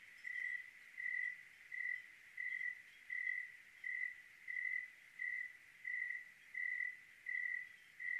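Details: On a clear night in Oregon, a single cricket chirps in an even rhythm, each clear, fairly low ringing burst under half a second, about every two-thirds of a second over faint hiss.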